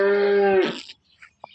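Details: Holstein Friesian cow, a pet cow in milk and near the end of pregnancy, in Somthane village, Sinnar, Nashik district: a steady harmonic moo held for about half a second, then breaking off into a rough fading tail.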